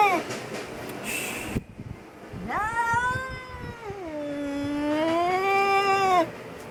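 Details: Very angry domestic cat yelling and screaming: a long wavering howl that rises, dips and holds steady for about four seconds, richly harmonic, after earlier scuffling noise; no other animals.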